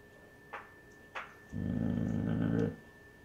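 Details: Basset Hound mother growling to protect her pups from a grandfather indoors; two short soft knocks, then a steady low rumbling growl lasting just over a second.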